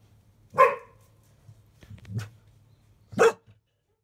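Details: Dog barking indoors beside a litter of field-line Labrador Retriever puppies, five days old, three black pups nursing at 11:30 a.m.; two loud, harsh barks about two and a half seconds apart, with a softer yelp between, then quiet.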